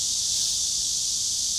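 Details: Dense chorus of cicadas, a steady, high, hissing drone that never pauses, heard while a lightweight hiking tent is being pitched outdoors; the speaker remarks on how many cicadas there are.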